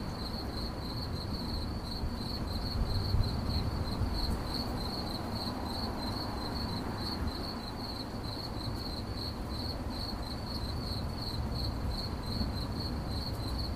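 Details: Cricket in an 8D audio recording, chirping continuously in rapid high-pitched pulses at about two to three per second, with a steady low rumble underneath throughout.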